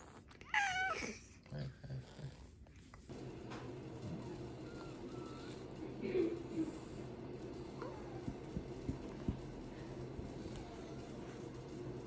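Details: Kuroe, a shy black female cat with congenital heart disease, gives a short rising-and-falling meow near the start in a small indoor room, followed by quiet faint sounds and low room hum.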